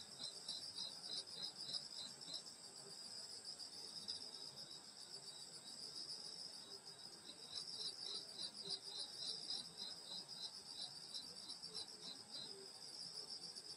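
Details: Insects singing on a summer night in the countryside at a grandmother's house in Korea. A dense, steady high chorus of trills with rapid pulsing chirps layered over a continuous shrill hum. Faint lower chirps drift in and out.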